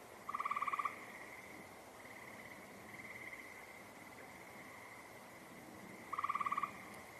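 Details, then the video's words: Two rattling frog trills about five seconds apart, each a quick burst of even pulses under a second long, set against a constant thin droning hum and faint distant trilling. "Those are frogs you're hearing over here."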